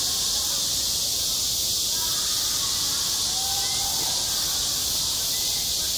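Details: On a school playground in midsummer, cicadas keep up a steady, loud, high droning buzz, unchanging in level, with a few faint thin whistles beneath.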